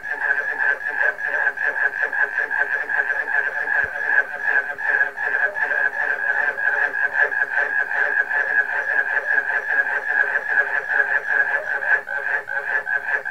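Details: Steady, loud chorus of frogs mixed with barking crickets, a dense throbbing of quick croaks over a sustained ringing drone, the rhythm fairly even throughout, with one sharp low click near four seconds.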